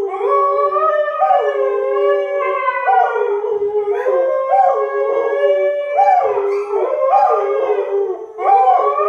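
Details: Husky named Sky howls at length after being annoyed by springer spaniels Marshall and Sadie, the dogs joining in a trio; long wavering tones with repeated upward yips and pitch bends, overlapping voices.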